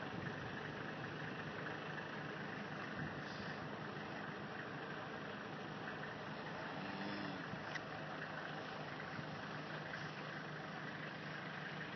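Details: A vehicle engine idles steadily with a low rumble throughout, and no other clear sound rises above it.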